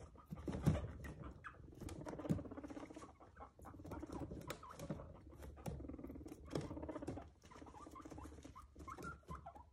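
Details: Nick, a pet guinea pig, calls indoors in short harmonic bursts of low chutting and purring notes, repeated roughly every second or two, over a steady low hum with light pattering and rustling.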